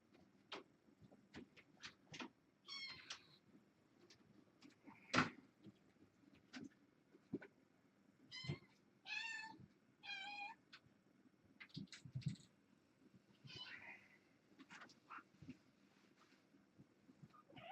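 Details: Kittens born August 29, indoors on an October 31 evening while someone swaps a webcam; several short wavering meows around the third and ninth to tenth seconds among knocks, clicks and handling thumps.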